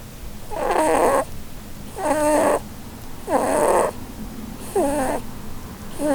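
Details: A Holland Lop rabbit snoring while asleep and dreaming under a Christmas tree, a breed prone to snoring from its facial bone structure; rhythmic wheezy squeaking breaths about every 1.3 seconds, each with a thin whistled tone.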